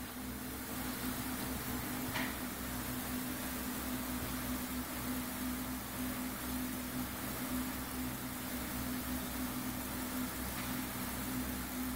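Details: A steady indoor drone, like a fan or appliance, hums throughout with two faint clicks; no animal voice is heard.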